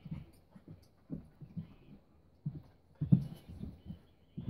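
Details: Two dogs at their first play date, Keiko a four-year-old Husky and Lucy a three-month-old Welsh Springer Spaniel puppy, playing together: low, rough grunts and huffing growls in short, irregular bursts, with a louder cluster near the end.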